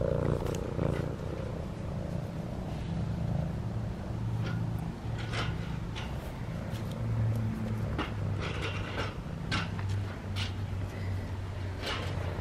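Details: Domestic cat that wandered into a yard while Christmas lights were being hung outside, purring as it is petted; a steady low rumbling purr runs throughout, overlaid by scratchy rustling strokes of petting and faint outdoor background hum.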